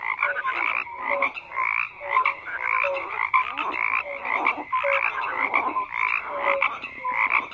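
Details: Croaking frogs call in rhythmic pulsed bursts, roughly two per second, each burst raspy and layered, with short tonal notes between them in a thick chorus.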